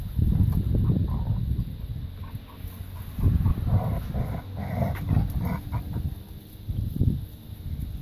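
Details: Labrador retriever puppies playing in a garden: low rumbling growls and scuffling bursts, with a few brief higher yips in the middle, over steady rustling ground noise.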